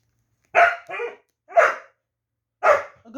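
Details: A fierce puppy barking: a doubled bark, then two more single sharp, harsh barks spaced about a second apart, loud and clear against a quiet background.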